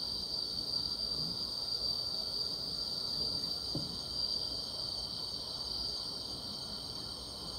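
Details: Grass insects on a summer night, a steady high shimmering trill held around a single bright pitch band, unbroken throughout, with faint low rustling hiss beneath.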